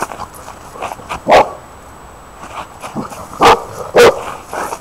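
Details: Kobi, a scared dog, gives three loud, sharp barks near 1.3, 3.5 and 4 seconds, with softer yips and shuffling between them, just after a person urges it to go get something.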